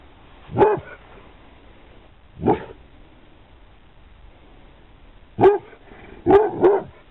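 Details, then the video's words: Pit Bull named Lennox barking, recorded in 2009: five short, sharp single barks, widely spaced at first, then three in quick succession near the end, over a quiet background. "Pitbull Lennox barks / bellt"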